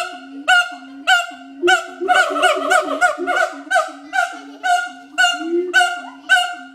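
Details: Two adult siamang gibbons, a mated pair at Schmutzer Primate Center, performing their complex territorial duet; steady low booms alternate with sharp barks nearly twice per second, overlapping into a dense chorus midway.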